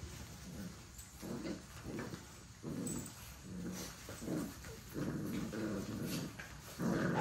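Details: Puppies in a rough play-fight. Low, rumbling growls pulse in irregular bursts with short gaps, and one louder growl closes the stretch.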